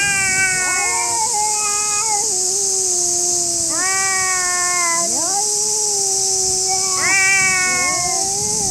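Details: Stray cats fighting in a park in Japan, angry: overlapping harmonic yowls, long moaning tones that dip and then rise sharply in new wails about every one to two seconds, over a constant shrill insect buzz.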